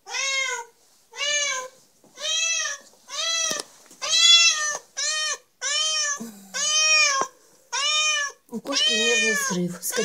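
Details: Kitten meowing insistently indoors, about twelve loud, clear meows in quick succession, roughly one per second, each with a brief rise and fall; faint low sounds near the end.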